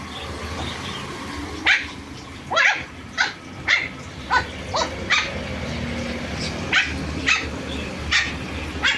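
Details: Pomeranian puppies in Kerala giving a run of short, high yips and squeaky barks, about a dozen spaced roughly half a second to a second apart, over steady low background hum.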